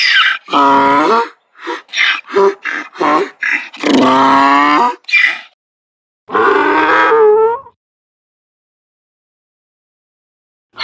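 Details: Donkey braying, said to bray when angry or afraid: a string of rough, groaning pulses, some long and some short and choppy, then one drawn-out falling note before silence.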